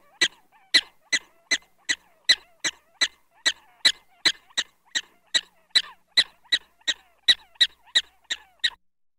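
Gunnison's prairie dog giving sharp, high chirping barks repeated steadily about twice a second.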